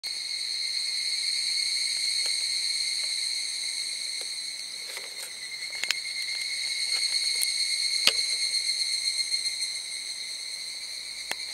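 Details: Evening cicadas (higurashi) at Zao Echo Line, Miyagi, Japan, fill the air with a steady, high, ringing drone of layered metallic tones.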